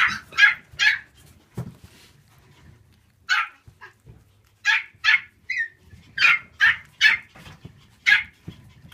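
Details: Black female Shiba Inu at a Siberian Husky and Shiba kennel: sharp, high yapping barks in quick bursts of two or three, about a dozen over nine seconds, separated by short quiet gaps.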